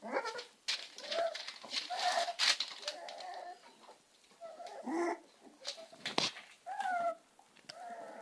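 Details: Several Amstaff puppies whine in short, tonal, slightly bending notes, scattered irregularly over broadband scuffling and shuffling noise.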